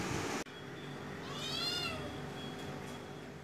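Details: A cat attacking a small bird utters a single clear, arching meow that swells and fades over about half a second, after a sharp cut, with a faint steady tone and low hiss beneath.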